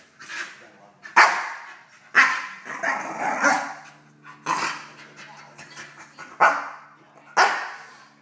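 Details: Dog aged 10.5 months barking at an intruder in its kennel: loud, harsh barks repeated about once a second, some in quick pairs, with a low steady hum beneath and faint voices.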